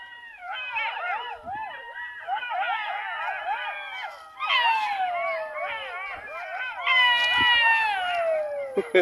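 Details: Around 10 to 11 in the morning, unusual since they normally call just before evening, several jackals howl together in wavering, overlapping wails that slide downward at each phrase's end.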